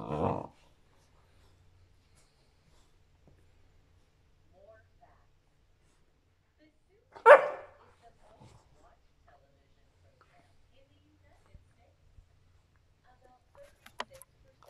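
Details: Shepherd Rottweiler mix dog during play, 17 May 2021: a short bark at the opening and a sharper, louder single bark about seven seconds later, then near silence with faint clicks.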